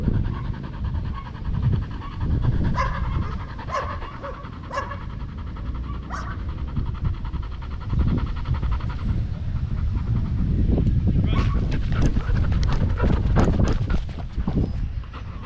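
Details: Danny, a Belgian Malinois in Cebu, Philippines, pants hard while playing fetch: rapid, rough, breathy huffs run steadily throughout, over a low rumbling background with a few brief sharper bursts.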